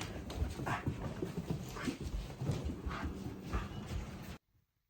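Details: Haru, a female Shiba Inu, happily excited that her brother is staying over; fast rhythmic panting with breathy pulses over a steady background hum, ending abruptly.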